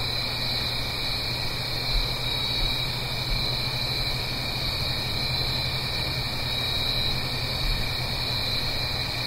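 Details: Crickets singing on an autumn night in the Blue Ridge Mountains, uphill from a stream: a steady, unbroken high trill with a second, lower constant tone beneath it, over a soft rushing wash of water and a low hum.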